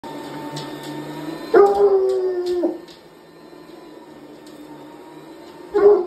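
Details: Hound dog howling at a running vacuum cleaner indoors: one loud, drawn-out tonal howl slides gently downward for about a second, then a second howl starts at the end, over a steady machine hum.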